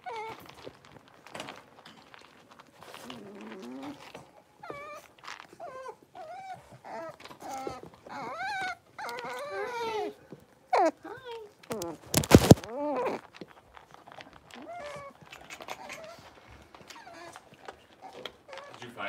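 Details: A litter of five blenheim Cavalier King Charles Spaniel puppies, six weeks old, in an indoor pen. Thin, wavering whimpers and short squeaky whines repeat irregularly throughout, broken midway by a brief loud clatter, over a faint background hiss.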